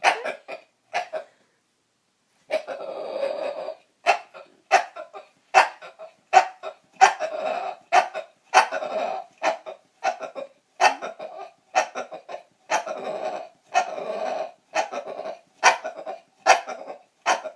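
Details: Roxy, a female bulldog, makes dinosaur-like noises of her own accord indoors: a long run of short, croaky, rasping bursts, repeated roughly every second after an early pause, some drawn out into gravelly groans.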